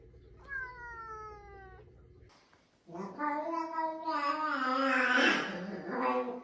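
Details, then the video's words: A domestic cat, said to be just out of surgery, indoors at night, gives drawn-out, wavering, speech-like meows that rise and fall. A tone sounds at first, then people laugh and talk around it. "Talking cat"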